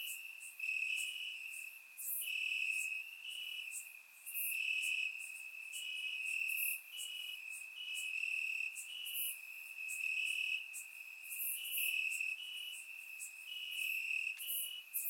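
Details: Warm summer night in Bulgaria with crickets singing from the grass, surround-mic recording; an unbroken high-pitched trill overlaid by brighter pulsed chirps recurring steadily across the stretch.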